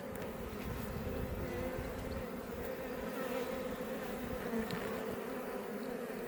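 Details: Many Iberian honey bees outside a Langstroth beebox hive near Roquetes in south Tarragona, Catalonia, Spain; an unbroken, even buzz of the swarm fills the whole stretch with only slight swells in loudness.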